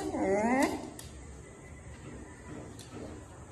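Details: Miniature dachshund at play indoors: one brief high whine that swoops up and then down within under a second, rich in overtones, followed by quiet room noise with a couple of faint taps.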